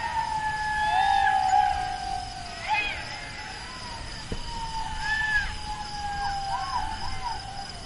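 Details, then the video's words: Jackal howling: a long, steady, slowly falling wail, with higher wavering, looping yips over it and a constant background hum. "Jackal Sounds"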